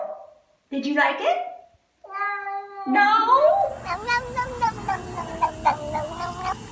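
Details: A cat makes strange noises: short chirping mews, then a long, strained yowl that slides upward, followed by a stuttering, pulsing cry over a faint steady background tone.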